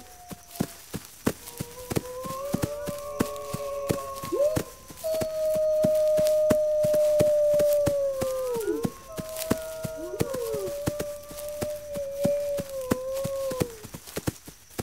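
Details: Wolves howl in overlapping voices: short rising notes, then a long sustained howl that drops at its close, followed by more wavering howls, all over a constant rapid clicking.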